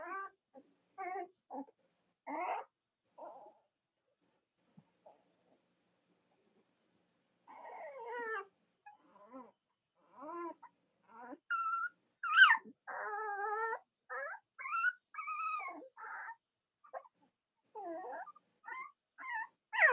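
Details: Newborn-litter Cavalier King Charles Spaniel puppies of Robin and Myra, indoors in the US near Halloween: intermittent wavering whines, a quiet gap, then a busier stretch of high, quavering cries.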